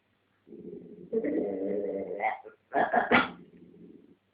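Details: Domestic dog with a dog chew between its paws, growling at a second dog that wants it during a squabble; low rumbling growl rising into a louder strained snarl, then a burst of harsh vocal noise before fading back to a growl.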